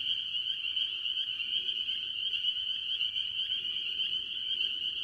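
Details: Mostly spring peepers among various tree frogs at a farm pond early in the year, countless high whistled peeps fusing into a steady shrill chorus with slight pulsing texture.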